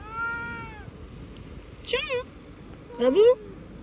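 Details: House cat with a clear, slightly arching meow at the start, followed by two brief, strained yowling cries in quick succession.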